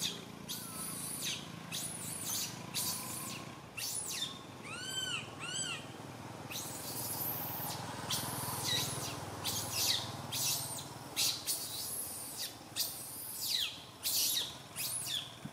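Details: Young monkey Santo crying loudly in a tree while mother Sara cannot look after him; two tonal arching wails early on, followed by a long stretch of hoarse, noisy, high-pitched screaming.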